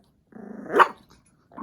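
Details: Chihuahua growling near its food at dinner time indoors: a short rough growl rising into a sharp bark-like peak, then silence and a faint start of another sound.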